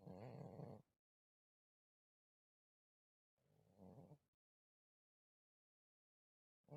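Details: Sleeping house cat Malysh snores in a village, recorded 4 December 2024: a regular train of low, rattling, harmonic breaths roughly every three and a half seconds, three snores in all, with complete quiet between them.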